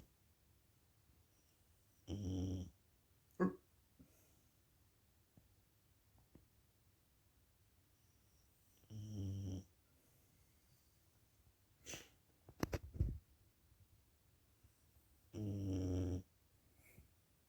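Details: Sleeping dog snoring; three long, low rasping snores about every seven seconds, each lasting under a second, with a few brief clicks and rustles between them in a quiet room.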